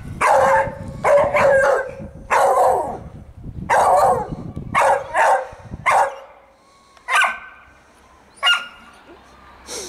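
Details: Fudge, a Staffordshire Bull Terrier, playing and enjoying the sun on Mother's Day, 26 March 2017; a run of loud, rough barks in quick bursts, several per second at first, then sparser sharper yips.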